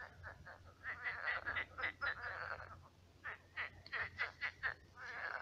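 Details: Many frogs croaking at night in a shallow pond turned swamp: a dense chorus of short, rasping, pulsed croaks in rapid bursts, pausing briefly near the middle before resuming.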